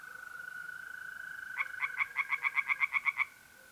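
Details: A mole cricket trills steadily on an April night in north-east Italy before a pond tree frog breaks in with about twelve quick pulses accelerating slightly, ending abruptly after under two seconds.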